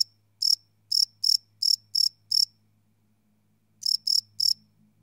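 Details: Cricket chirping at night, recorded live with a Sony PCM D100: six evenly spaced high chirps, over a second of silence, then three more, over a soft low rumble.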